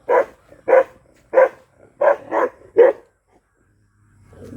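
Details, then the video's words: Black Bhotiya dog giving six deep, loud barks spaced roughly half a second apart, then quiet with a low rumble at the end. "Mad ! Barking Bhotiya Dog Black"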